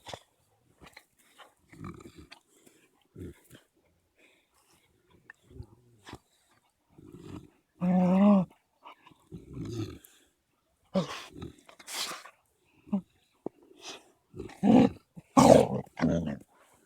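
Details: Two Caucasian Shepherd dogs, 3-month-old female puppy Amy and 21-month-old male Balu, playing roughly; low rumbling growls in short bursts, one long growl near the middle, with scuffling and thumps between.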